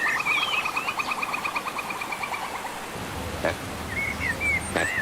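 A monkey gives a rapid, high chattering trill, then a few short squeaky whistles.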